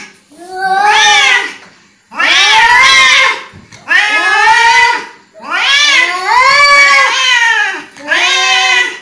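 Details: Loud angry cat yowling: five long wailing calls, each lasting over a second with a rising-then-falling contour, delivered almost back to back with only brief breaths between them, harsh and caterwaul-like throughout.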